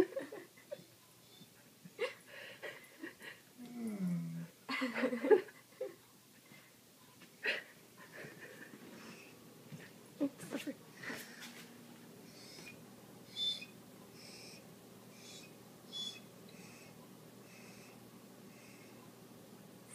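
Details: Tommy, a large corgi holding a treat in his mouth and wanting to bury it, whines and wheezes indoors in short breathy bursts, with one low wavering whine rising and falling midway and quieter snuffles between.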